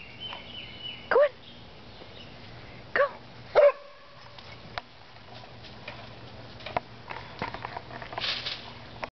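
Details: English Springer Spaniel named George, a pet dog searching relentlessly for an imaginary chipmunk he thinks is hiding in a pool ladder, gives three short, sharp barks in the first four seconds, then quieter shuffling and faint clicks follow.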